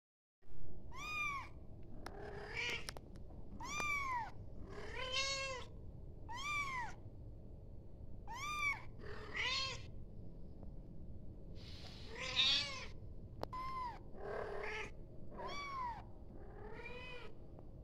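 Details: Kitten calling its mother with a steady run of about a dozen high, arched meows, each rising then falling, spaced roughly every second, with a few lower, rougher cries mixed in over a faint room hum.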